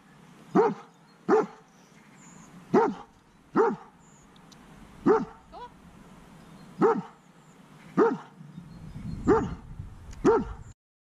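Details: Fearful reactive dog barking as strange dogs pass during counter-conditioning training; about ten short, sharp barks at uneven intervals of roughly one second, one fainter yelp between them, with a low rumble near the end.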